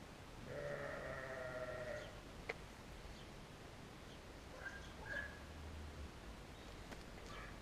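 A sheep gives a long, wavering bleat, followed by fainter, shorter bleats in the background.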